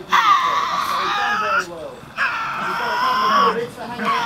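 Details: A young, healthy Tasmanian devil at Bonorong wildlife park near Hobart, Tasmania, gives two long, harsh, wailing growls with a strained, raspy tone.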